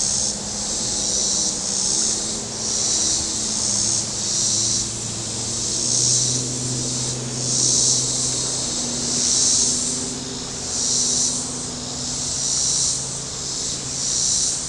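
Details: Warm Saturday at Table Rock Lake, southern Missouri: cicadas on shore keep up a high, rhythmic buzzing chorus in about a dozen swelling pulses, while a passing boat engine drones low and shifts in pitch.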